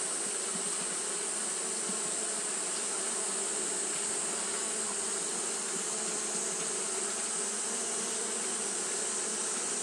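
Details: On a hot day, Japanese honey bees keep up their fanning behaviour, producing a continuous low, layered hum without pauses, accompanied by an even, shrill hiss in the background.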